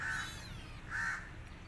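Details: Rescued kitten, alone and needing its mother, gives two short, flat mews about a second apart, each held for roughly a quarter second, over a low background rumble.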